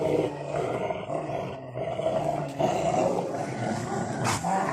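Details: Rottweilers in a garden wrestling a tyre to pieces: a long unbroken low rumbling growl, rough and buzzy, with a sharp click near the end and a man's voice nearby.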